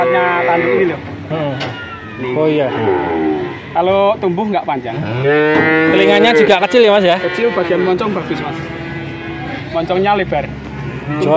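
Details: At Grabag in Magelang, a group of male calves moo over one another in a steady stream of wavering, rising and falling calls, while voices chatter in the background.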